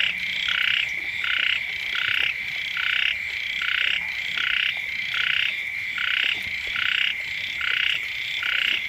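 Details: Chorus of frogs near a home when the rains first arrive, with rhythmic swelling pulses of harsh, buzzy croaks repeating roughly once per second above a continuous shrill hum. No other clear sounds.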